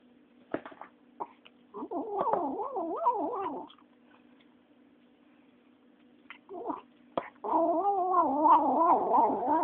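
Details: Female kitten, nine weeks old, eating and uttering two drawn-out wavering yowls, each a couple of seconds long, with a brief grunt and sharp chewing clicks between them.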